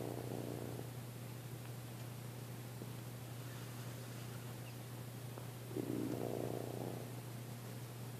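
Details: Sleeping Weimaraner snoring like an old man: two rough, low snoring breaths, one at the start and one about six seconds later, over a steady low electrical hum indoors.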